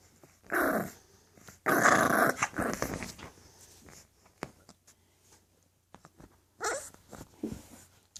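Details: English Bulldog puppies growling indoors: three loud, harsh, rasping bursts, one short, one long and sputtering, one brief near the end, separated by quieter snorts and clicks.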